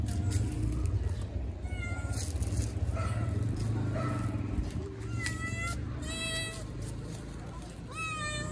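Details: Hungry kitten meowing to ask for food; short, high-pitched meows come about once a second, several rising at the end, over a steady low background hum.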